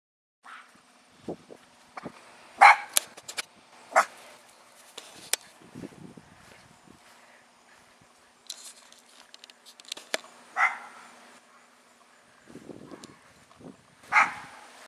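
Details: Luna, a female Miniature Pinscher–Chihuahua mix, is hyper and running around the backyard, giving sharp, high-pitched barks a few seconds apart at things she hears outside, with soft rustling between.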